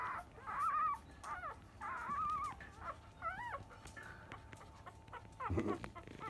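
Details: Newborn Labrador Retriever puppies of a field line, five days old, at a 10 a.m. feed; drawn-out quavering whines alternate with short arching yelps, with a brief rough burst near the end.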